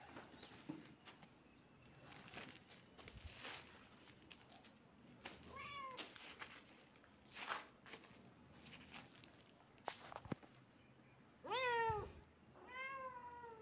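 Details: Kitten meowing: two clear, high, wavering meows near the end, each rising then falling with bright harmonics, after several soft clicks and rustling handling noises.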